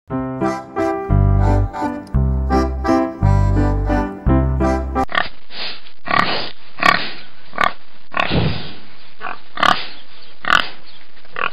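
After a short piano tune, a pig gives a run of rough, snorting grunts.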